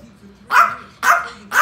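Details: Angry toy Yorkshire terrier on the attack, giving three sharp, high yapping barks about half a second apart, each a loud, bright burst rising from near silence.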